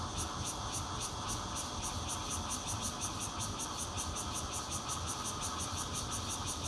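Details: Bear cicada recorded on 16 June 2013 from a fourth-floor home in Zhongli, Taiwan, on a Nokia Lumia 820; a loud, harsh, high buzzing pulses in a steady rapid rhythm throughout, over a constant low background rumble.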